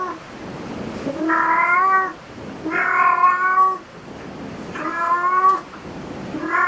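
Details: Repeated meowing from a cat in a cat cafe: four strong, slightly rising calls roughly every one and a half seconds over a soft hum of room noise.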